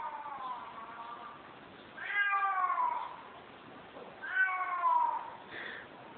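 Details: Kos, Greece: a female cat that kept meowing and trying to get into a room gives two long, falling, slightly whiny meows about two seconds apart, plus a brief faint third.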